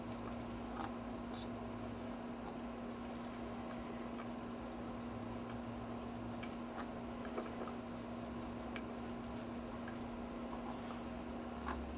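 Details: A steady low electrical hum fills a small indoor room, with scattered soft clicks and taps but no animal voice.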